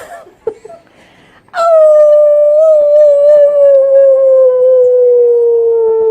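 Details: A puppy learning to howl, starting after a few faint yelps, holds one long steady howl for over four seconds. The howl is slightly wavering and sinks gradually in pitch, full of bright overtones.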